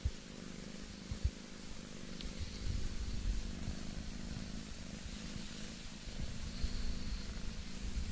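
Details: Pet cat Boss Cat purring continuously, a low throbbing rumble in slightly uneven pulses, with a faint rustle and occasional quiet clicks close by.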